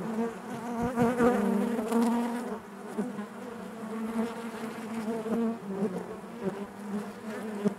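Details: Many bees buzz together inside the hive. A rich, low hum with clear overtones is loudest in the first seconds, then eases into a softer, steady drone with small flickers of close wingbeats.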